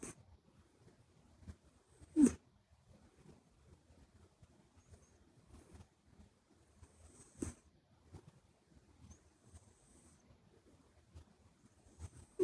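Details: Quiet sleeping breaths of Buri, a short-legged Minuet kitten whose flat nose always sounds during sleep; faint high whistles every couple of seconds between two louder sharp knocks.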